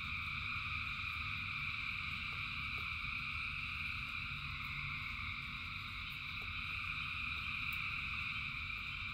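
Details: Massed frog chorus during rain: steady overlapping trilled buzzing in three bright bands, swelling slightly now and then, with scattered brief clicks and a rumbling low background of falling rain.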